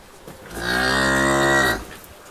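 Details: A cow in a barn gives a single loud, sustained moo lasting over a second, a rich harmonic tone that slides slightly lower before stopping abruptly, with quiet barn ambience around it.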